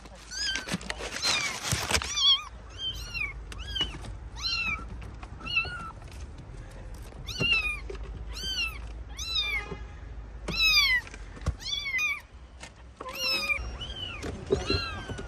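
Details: Kittens trapped under rubble crying during a rescue: many thin, high, arched mews in quick irregular series, a burst of scraping noise at the start, and occasional knocks.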